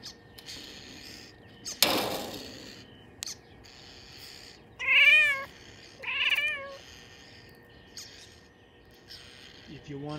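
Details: Six-month-old female Bengal cat at the window calling at birds: two short, wavering tonal chirps a second apart, after a loud thump, with a person speaking nearby.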